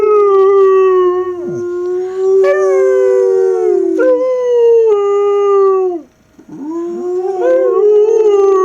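A young Siberian Husky gives long, wavering howls that hold a steady mid pitch and then slide down.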